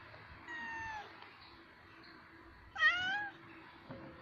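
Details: A male cat urinating and calling to bring females to mate: a faint drawn-out whine followed by a louder wavering, rising-falling yowl near the end, over quiet room noise.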